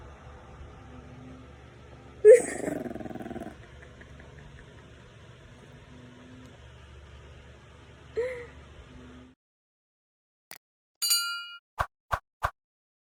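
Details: A male French Bulldog puppy, seemingly scared on seeing himself in the camera for the first time, gives a short, husky bark, then a small whining yelp, over a woman's voice.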